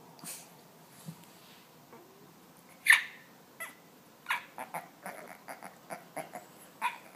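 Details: Ding Ding, a young puppy, gives a string of quick nasal grunts and huffs. Faint at first, they grow louder and more frequent, with one strong snort near the middle and then a run of short repeated puffs.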